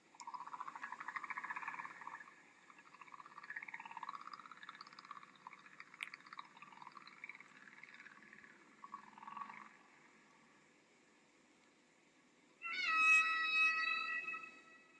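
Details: North Atlantic humpback whales off Bermuda in springtime, migrating northward from the breeding grounds, from the 1966 original recording. Wavering, sliding tonal moans sweep up and down through the middle range for about ten seconds, then a short bright burst of harmonic cries follows a pause.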